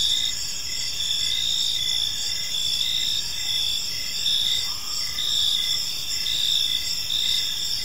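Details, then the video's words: Crickets in a peaceful park at evening, steady high trilling chorus with rhythmic short chirps beneath, a brief faint lower tone near the middle, soft background rumble. "Cricket Sounds in a Peaceful Park"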